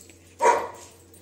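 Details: Labrador Retriever giving a single short, sharp bark indoors, one abrupt burst that fades quickly, with a faint steady hum behind it.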